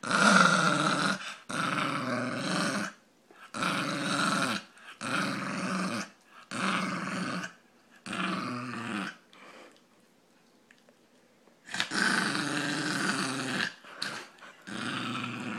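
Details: Ozzy, a Brussels pug, making a funny noise: a run of rough, raspy snorting grunts of about a second each, with a long quiet pause before three more bursts.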